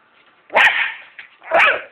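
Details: Corgi barking excitedly while playing with bubbles; two sharp loud barks about a second apart with a short faint yip between them.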